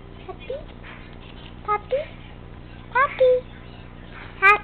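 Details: Spunky male teacup Chihuahua puppy weighing 13 ounces, acting tough like a Doberman. Short high whimpers with rising pitch come in small bursts, about four groups over several seconds, over a low steady background hum.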